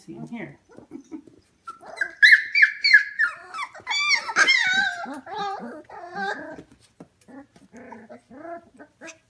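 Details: F1 Goldendoodle puppies aged 25 days, heard inside a house at 11 pm. Soft low grunts open, then loud piercing squeals and wavering whines burst out together, fading back into scattered small whimpers and snuffles.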